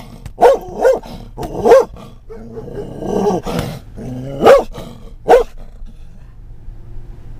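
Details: Scottish Terrier riding in a car in October 2010, reacting to things outside. Sharp single barks come in uneven bursts, with a lower, drawn-out whining growl in the middle and engine rumble beneath.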